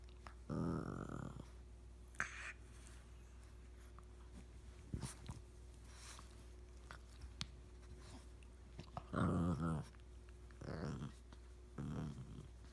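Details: Indoors in a small room, a new puppy and Rigby play together: rough growling bursts of about a second each, one at the start and a cluster near the end, separated by quiet stretches with scattered clicks and shuffling.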